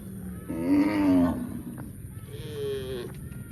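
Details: A cow moos twice: first a loud, rough, low moo, then a shorter, smoother, higher-pitched moo after a brief pause. A faint low background hum runs throughout.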